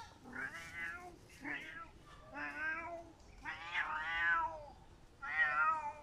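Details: Domestic cat crying indoors: five drawn-out, wavering meows with rich harmonics, each under a second long, spaced about a second apart, some rising then falling in pitch; no other clear sounds.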